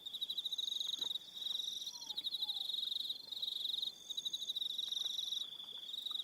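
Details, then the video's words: On Aroha Island, New Zealand, crickets call in the evening with shrill, fast-pulsed trills in bursts of roughly a second, separated by brief gaps. A steady high whine runs beneath them, along with faint slurred lower notes. "Evening Sound of Crickets"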